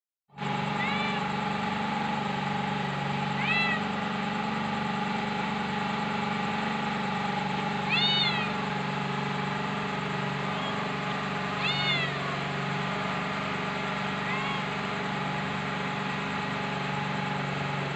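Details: Kitten giving a series of short, high meows spaced a few seconds apart, each with a brief rising-falling arc, over a constant low mechanical hum.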